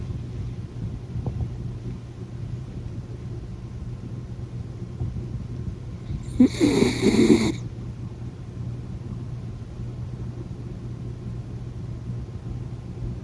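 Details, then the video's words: Sleeping miniature dachshund snoring: a single loud, rasping snort midway through, set against a steady low hum and quiet breathing noise. "いびきをかく犬 Snoring dog"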